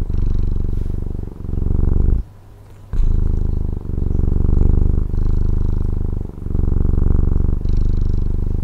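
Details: Domestic cat from Taiwan purring steadily: a deep, low rumbling buzz that swells and fades with each breath, about every 1.3 seconds, with a short quiet pause near the middle before the purr resumes.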